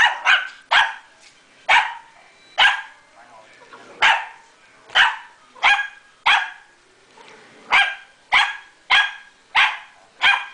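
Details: Stella, a pomeranian puppy, barking at a vacuum cleaner she tries to take on: sharp high yaps, about fifteen in ten seconds, in uneven pairs and singles, while a person urges her on indoors.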